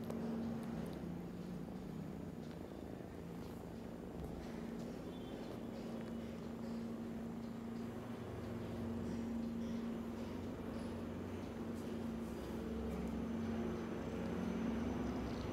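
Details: Purring of a tiny kitten cuddled against its sister Browny, a long, even, low rumble with rapid pulsing and a faint steady hum over it, holding nearly constant loudness.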